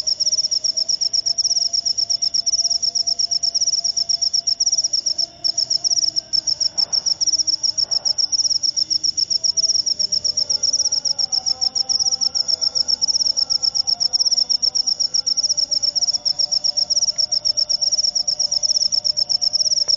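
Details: Jangkrik upo cricket calling nonstop: a high, piercing, buzzy trill of tightly packed pulses that barely pauses, with faint low background murmurs and a soft thud near the middle.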